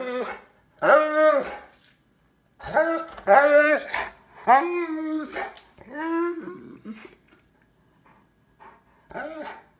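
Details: Cane Corso named Lord Loki, indoors, searching for its toy: a run of drawn-out, tonal, moaning whines that rise and fall, about five loud calls spread over ten seconds with short pauses, then a softer final one.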